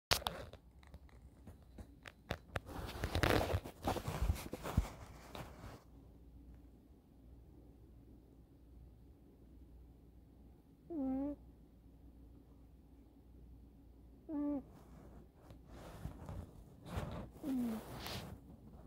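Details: Eddy the kitten sound asleep on a sofa, chin cradled on his forearm against the sofa back, indoors. Rustling and handling noises fill the first seconds, then three short whistled, squeaky snores come a few seconds apart in a quiet room.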